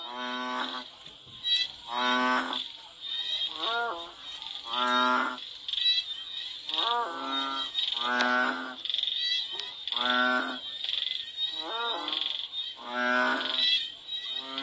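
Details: Frogs in Cambodia calling during and after rain. Separate bleating, moo-like notes about half a second long sound every one to two seconds, some with a wavering upturn, while a high insect whine runs throughout.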